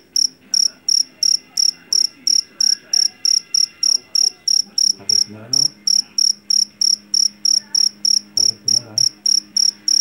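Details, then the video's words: Jangkrik jeliteng, a rice-field Javan cricket famed for its shrill voice, chirping continuously about three times a second, high and bright, with low murmuring sounds beneath midway and near the end. "SUARA JANGKRIK PENGUSIR TIKUS SUARA ASLI"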